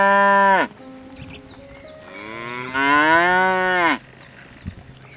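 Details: A cow on a farm gives two moos: a short low one that drops in pitch at the end, then a longer one that swells and falls away after about two seconds. Soft bird chirps sound in the background.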